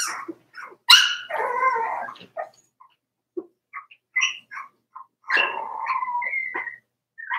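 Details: Cavalier King Charles Spaniel puppies, four weeks old from Daisy's litter, yipping and whining in their indoor pen. A sharp yelp leads into a longer whine, followed by scattered short squeaks and another drawn-out whimper near the end.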